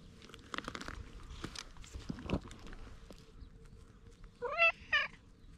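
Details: Oddly marked stray cat voicing its plea in cat language, recorded on a GoPro HERO8: rustling and crunching footsteps, then two short, rising chirp-like meows close together near the end.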